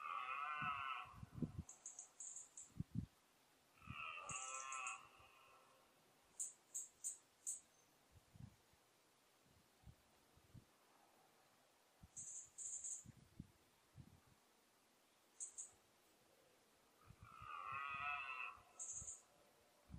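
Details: Red deer stag bellowing during the 2014 rut, likely the 14-point stag: three separated throaty, harmonic roars in a quiet setting, mixed with brief high chirps and scattered low knocks.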